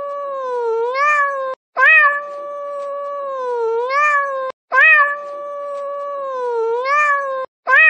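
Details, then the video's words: A cat's prolonged crying meow, flat and nasal, ending in a brief wavering upturn, repeated three times with short breaks of silence; quiet background. "고양이 울음 소리"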